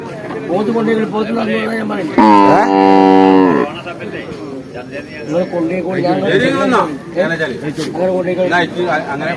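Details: A water buffalo up for sale gives a loud, steady, drawn-out moo lasting about a second and a half, with men talking around it before and after.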